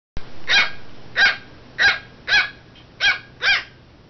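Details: Dog, a chocolate Schipperke or Pomeranian puppy indoors; six sharp, high barks spaced roughly every half second to second, each bright and brief, over a quiet background hum.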